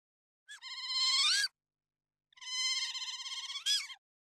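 Giant otter giving two high, warbling squeals, each about a second long, with a wavering tone that lifts sharply at the end.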